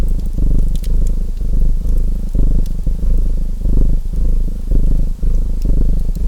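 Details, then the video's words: Domestic cat purring in an even, gravelly drone with rhythmic one-second swells, accompanied by light crackling and rustling from a wood fire. "Purring Cat Sounds | Feu de Cheminée et Ronronnements"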